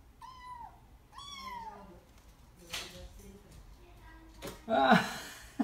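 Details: Oiro, a kitten indoors learning to climb down stairs it had feared, gives two clear, drawn-out meows that slide downward, each under a second, followed by soft bumps and shuffling noises.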